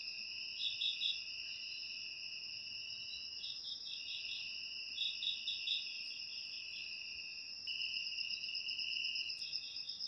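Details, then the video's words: Crickets chirping in a steady, shrill chorus, two high continuous trilling tones with brief pulsed bursts layered on top, no other sounds. "Suara Jangkrik Untuk Mengusir Tikus"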